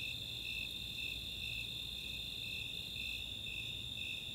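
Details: Snowy Tree Crickets and Four-spotted Tree Crickets in summer night chorus at Chautauqua, Boulder, Colorado: a continuous high trill with softer, less regular chirps pulsing beneath it.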